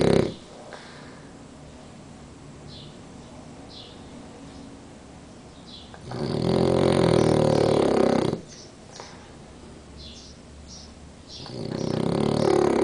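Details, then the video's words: Danko, a napping French Bulldog, snoring at siesta time with one eye open. Long, quiet breathing stretches alternate with loud, gurgling snores lasting around two seconds. Faint soft sniffs are audible between them. "BULLDOG FRANCES RONCANDO "DANKO EL RONCADOR""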